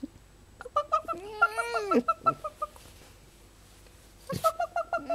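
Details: Pet female fox indoors, calling while its keeper coaxes it to sing: high, harmonic whines that rise and fall, then a run of short repeated chirping yelps, with a brief pause before a second burst of quick chirps.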